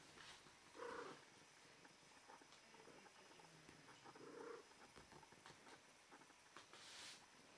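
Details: Female cat in heat, posing invitingly, gives two short tonal mews about three and a half seconds apart, then a brief hissing rustle at the end, against a quiet indoor background.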